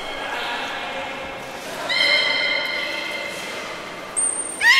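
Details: Belugas in pools at Port of Nagoya Public Aquarium, Japan, 11 August 2018, during a pool transfer that ran out of time. Faint whistling, then a strong harmonic squeal, ending in a sharp high whistle and rising chirp.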